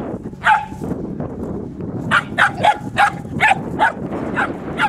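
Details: Three-month-old puppy Dixie, on her first day working as a sheep dog, lets out a quick series of about eight sharp, high yips, roughly two to three per second, against low background rumble.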